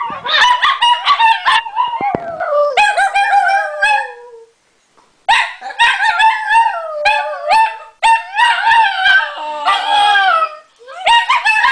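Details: Two female Italian Greyhounds bark at something out a window, then set each other off into howling: high, wavering cries sliding downward, tangled with quick yelping barks, in bursts with brief pauses.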